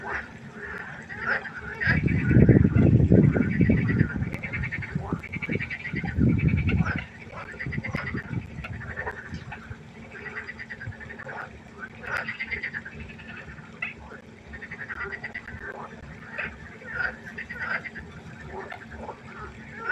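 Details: Night chorus of frogs at a pond: many overlapping croaks and rattles throughout, with a loud low rumbling burst early on that fades after a few seconds, leaving the steady frog chorus.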